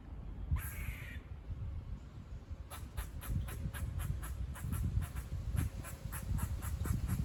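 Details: Squirrels seen on a walk near a farm give buzz-like barking: after a brief harsh note near the start, a steady train of sharp clicking pulses repeats about three times per second over a low rumbling outdoor background.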